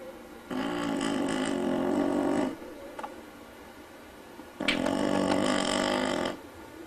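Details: Sleeping dog snoring indoors: two long, rough, harmonic-rich snores of about two seconds each, separated by a quieter pause with a faint short sound between them.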